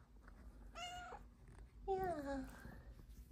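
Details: Cat meowing for belly rubs while lounging on a love sack indoors: a short, clear meow, a pause, then a longer meow that glides slowly downward, over a faint low hum.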